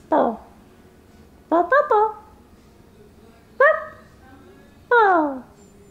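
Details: Singing pet dog giving four short, separate falling yelps and whines spaced about a second apart over faint background hum.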